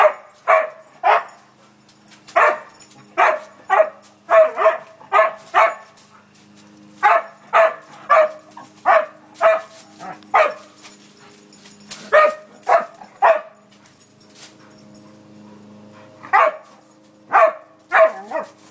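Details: A playing dog barks steadily, short punchy barks coming in quick irregular runs, about two per second, with brief gaps and a low background hum.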